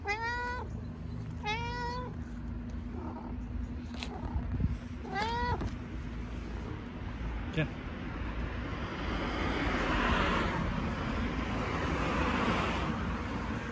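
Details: Talkative stray cat in Istanbul giving three quick meows in the first six seconds, short rising-falling harmonic calls, then only low rumbling street noise and a brief rustle.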